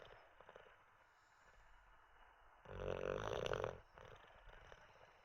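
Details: Sleeping olde English bulldog named Teddy, resting after treats and a toilet break; low, hushed breaths broken by a single deep, raspy snore lasting about a second in the middle.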